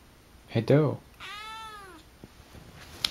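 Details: Akari, a house cat in her first two months with her new family, gives one clear drawn-out meow, arching up then falling, just after a brief human voice, in a quiet small room.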